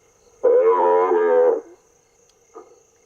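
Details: A recorded African buffalo calf distress call, a loud, harsh, drawn-out bleat followed by a brief fainter cry, is played through speakers in the bush to lure lions, which can hear it from miles away.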